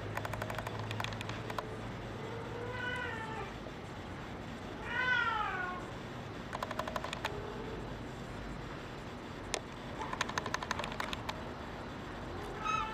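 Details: Brown tabby and white male cat giving a soft low meow, then a louder drawn-out meow that rises and falls, with bursts of sharp clicking and tapping noises before and after.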